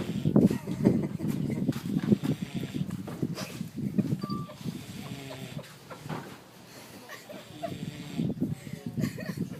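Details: Wilbur, a boar sound asleep on the beach in St Kitts, West Indies, snores in rough, low, pulsing rumbles that come in quick irregular bursts, loudest early on and easing off midway before picking up again.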